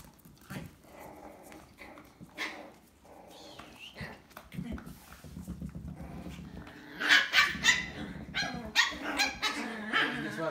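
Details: An 8-week-old black male Wire Terrier cross puppy, from a gray Wire Terrier mother and a Wire Terrier/Chihuahua father, plays with other puppies. Bursts of high, sharp yips and squeals come late, with a person calling and talking throughout.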